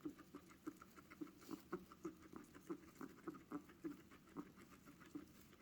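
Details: Guinea pig making strange noises: soft, low, evenly repeated clucking pulses, about three per second, quiet against a faint background hiss.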